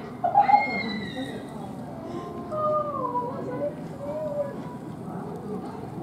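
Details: Lope, a young male western lowland gorilla at Twycross Zoo, screams in terror after being struck by his agitated silverback father Oumbi, whose family was kept outside during enclosure upgrades; high, clear, wavering wails rise and fall over about four seconds, with human voices behind.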